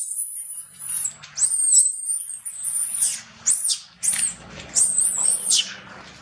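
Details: Baby monkey Lola crying loudly for its mother after being mistreated by a little monkey near a drop: shrill, very high-pitched screams in arching bursts of about a second, repeated with short gaps, some faint low background noise.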